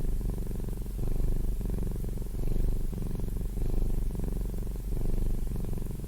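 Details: Pet cat purring steadily, a throaty low vibration rising and falling with each breath roughly every 1.4 seconds, very close and unbroken.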